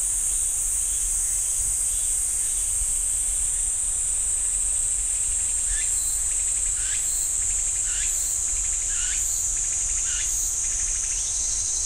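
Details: Continuous high, hissing cicada drone in pine woods at Ssanggyesa temple in Jirisan National Park, joined in the second half by short rasping pulses about once a second.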